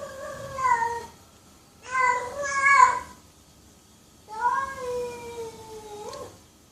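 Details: Domestic cat giving three drawn-out meows, the last long and wavering before a rising end, with quiet pauses between calls.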